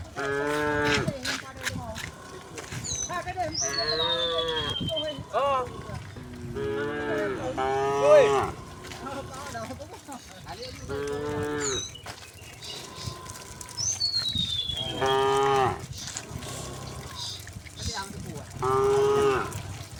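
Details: Many tame cows walking in a row along a path toward a hill covered in green grass; repeated overlapping moos from several animals, some deep and steady, some bending into higher drawn-out bawls, with brief quieter stretches between calls.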